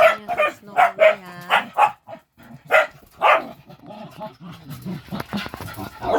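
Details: Several pet dogs playing indoors while waiting for dinner, Snowe being ganged up on by the others; a run of short, sharp barks and yips with one drawn-out whine early on, then noisy rustling and scrabbling toward the end.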